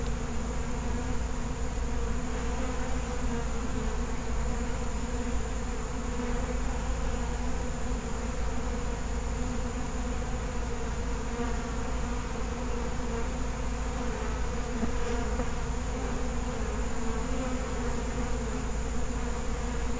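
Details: Steady, dense droning of a feral honey bee colony, a continuous low buzz with layered humming tones and no breaks throughout.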